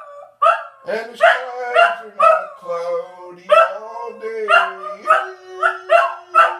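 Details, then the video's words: Scottish Terrier, a pet dog indoors, singing on request: harmonic yelping howls repeated about twice a second, with a steady lower tone held underneath throughout, probably a person singing along. "Singing Scottish Terrier"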